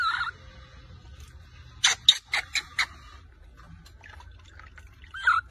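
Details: Baby monkey Rose crying very loudly and angrily after her mother takes her milk bottle during a bath; short wavering squealing cries open and close, with a run of sharp splashing or tapping bursts between them.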